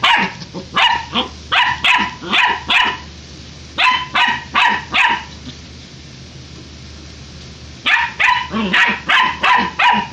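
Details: Puppy barking rapidly and persistently in bursts of quick, evenly spaced yaps, about three per second, pausing for a few seconds midway before resuming, with a steady background hum throughout.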